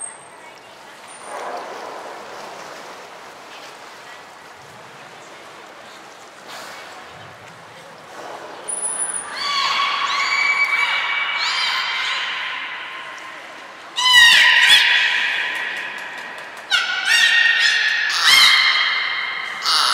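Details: Belugas Hodoi, Taanya and Mirai, kept at Port of Nagoya Public Aquarium, recorded 14 March 2021 during pool moves and training: quiet hall noise, then a burst of loud whinnying, squealing calls, several sharp onsets and sliding tones, and a brief whistle.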